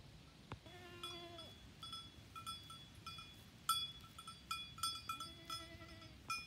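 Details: Bunte Deutsche Edelziege goats at the start of the rut, when the bucks begin to smell: two drawn-out, wavering, nasal bleats, one early and one near the end, while cowbells clang and jingle irregularly throughout.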